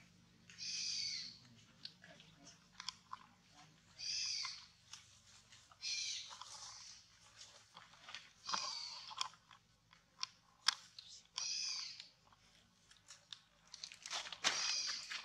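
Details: Baby monkey Ariana crying while its mother Anna treats it roughly, short shrill wailing bursts around every one to two seconds, separated by quiet gaps with faint rustling.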